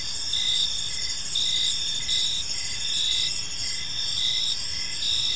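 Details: Chorus of crickets in a park at evening, bright high-pitched trills with rhythmic pulses about once per second, steady and unbroken, light background hum below.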